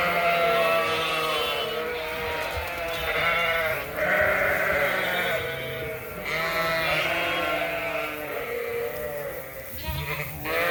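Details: Many Suffolk lambs bleat together inside a barn at Ewetopia Farms, their groups mixed after an open gate. The cries are quavering and harmonic-rich, with several calls overlapping and swelling in bursts every couple of seconds.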